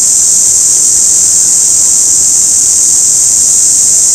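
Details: An orange cicada, heard in cicada season and quieter than the larger forest cicada, gives a steady, high-pitched electric buzz that never breaks.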